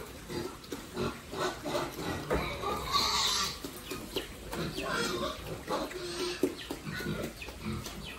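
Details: Farm-raised pigs kept for sale, calling in short overlapping grunts and squeals amid clattering pen noises.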